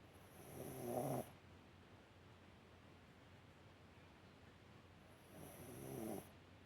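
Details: Yorkshire Terrier named Alice asleep on a warm heating pad, snoring softly: two raspy snores about four seconds apart, each lasting around a second with a faint high hiss, quiet room between.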